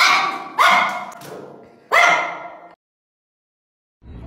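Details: Pekingese puppy in a bout of relentless barking; three loud, raspy barks close together, each with a strong tonal core, followed by a stretch of silence and a faint low sound at the end.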